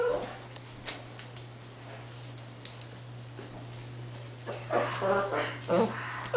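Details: English Bull Terrier puppies, 8 weeks old, whimper and whine in short, uneven bursts indoors.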